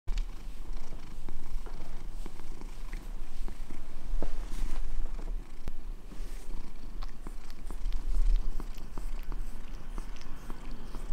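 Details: Domestic cat purring while licking a hand indoors: a steady, deep, rumbling purr with sharp wet clicks from the licking scattered through it.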